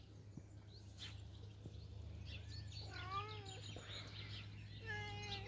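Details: Teddy, a gentle outdoor cat, gives two soft, wavering meows near the end, quieter and shorter than usual, amid low background hum and faint outdoor bird chirps.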